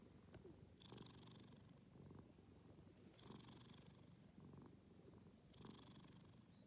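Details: Sleeping cat snoring: three raspy, breathy snores about every two and a half seconds, each with a hissing upper edge over a low, steady rumble.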